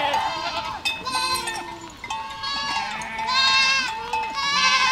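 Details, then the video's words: Herd of goats moving through a village, repeated quavering bleats from several animals overlapping, high nasal cries alternating with lower ones, a faint bell-like ring in the background. "Efeito sonoro de rebanho de cabras caminhando por uma aldeia"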